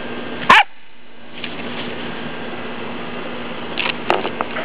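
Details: Rocket, a pet dog, playing with a favourite toy; one sharp loud bark early, then quieter short yips and rustling near the end over a steady low hum.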